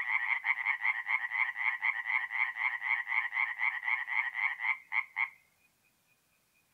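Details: Tree frog song at a forest pond at night in mid-April, north-east Italy: a loud, even series of about four sharp nasal croaks per second, ending abruptly after five seconds into near silence.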